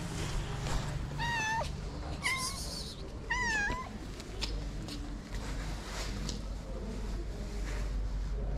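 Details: Homeless calico cat in Morocco, black spot on its nose, gives three clear meows about a second apart, each bending downward at the end, followed by a stretch of low street noise with no further calls.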